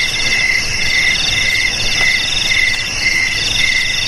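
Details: Jangkrik chirping offered against rats: regular buzzy chirps about twice a second under a shrill ringing trill, set against a noisier, hissing background.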